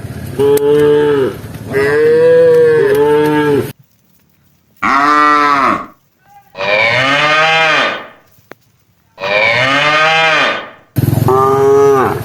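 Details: Domestic cows from a herd grazing around rice fields give five powerful moos, each one to two seconds long and separated by brief silences, some rising then falling, with a few clicking noises.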